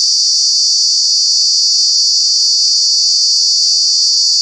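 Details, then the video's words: Very loud cicada drone recorded in Kanha National Park during the summer months, a dense shrill whine steady from start to finish with a faint low hum underneath. "Cicada, Cicadas are true bug with very loud sounds"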